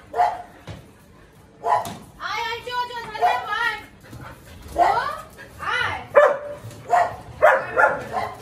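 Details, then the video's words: Siberian Husky howling in the morning indoors, the dogs of the house wanting to go out to the terrace: wavering, harmonic yodel-like cries rising and falling, mixed with sharp barks and yips toward the end. "Husky howling total caos in the house, everyone want to go terrace"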